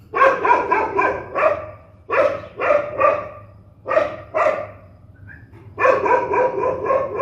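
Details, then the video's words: Aggressive, angry dogs barking in several short volleys of sharp, grating barks with brief pauses between them, ending in a longer run of rapid barks. "صوت نباح الكلاب الشرسة"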